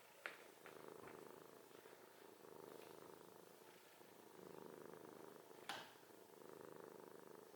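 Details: Cat snoring indoors, each slow breath a low raspy buzz that swells and fades, about every two seconds, with a couple of sharp taps in the background.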